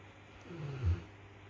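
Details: Mason, a Rottweiler flat out asleep after a hard day, snores with a single low, rumbling breath that swells and fades.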